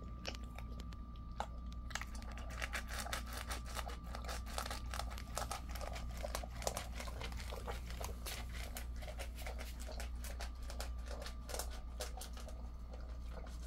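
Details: Ten-year-old male Jindo named Ddaya eating before a walk, early morning of 26 August 2024, 05:20, indoors: dense, irregular dry crunches and chewing clicks over a steady low hum and a faint constant tone.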